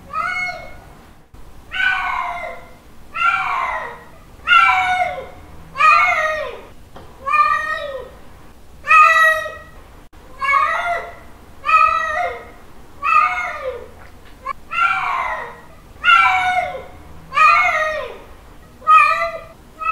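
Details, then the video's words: Mating call of a male domestic cat calling for a female, with loud arched meows following one another about every second and a half, each rich in harmonics, against a quiet room background. "Male cat mating call sounds 🤪 Male cat calling female 🤪 Cat in heat sounds"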